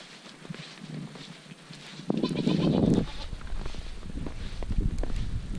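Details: Dairy goats outdoors in March snow, kept with a Great Pyrenees livestock guard dog; one loud, wavering bleat lasts about a second in the middle, amid soft rustling and steady background noise.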